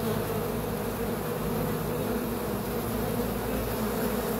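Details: Short stretch of unbroken bee buzzing, a smooth low hum of even loudness with faint hiss above.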